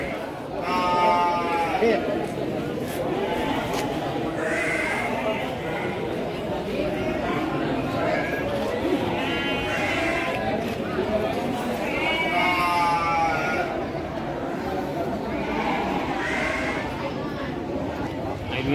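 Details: Garut meat sheep for sale at Andir market, Bayongbong, Garut, Indonesia; a series of tremulous, vibrato bleats repeating roughly every three to four seconds, overlapping steady crowd murmur and voices.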